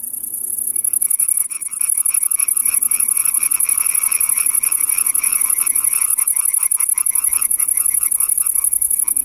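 European tree frog giving loud, rapid, rasping croaks repeated several times a second.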